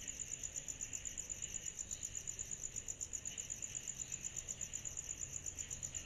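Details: Cicadas on a summer night keep up a steady, shrill, high-pitched drone that throbs a little under three times per second.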